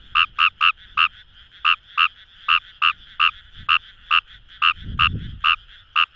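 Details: Fejervarya kawamurai in a Fukuoka rice paddy near the Kamo River gives clipped, knocking croaks, some in quick pairs and triplets, with a distant frog chorus behind and a brief low rumble around the fifth second.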